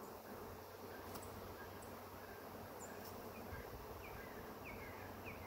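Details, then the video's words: Honey bee swarm, the first of the year, humming steadily while being caught; a dense, even droning hiss fills the recording throughout, with faint bird chirps in the background. "Catching the first swarm of the year"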